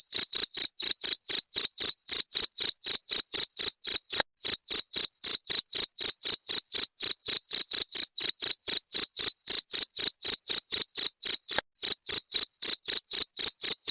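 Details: Steady cricket chirping meant to drive off rats: piercing, high chirps in an even run of about four per second, barely varying, on a silent background.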